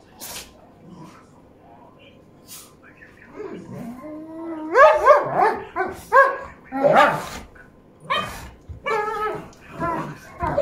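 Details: Dogs at play: a five-and-a-half-year-old European male Doberman with a small Chihuahua mix. Quiet start with faint rustles, then a run of short, harmonic yelps and whining barks from about four seconds, coming in uneven bursts to the end.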